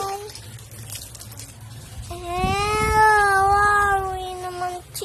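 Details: Pet Shih Tzu toy dog, indoors, starts with a brief tone, then howls for almost three seconds in one long, gently wavering note with strong overtones. Low background hum runs throughout.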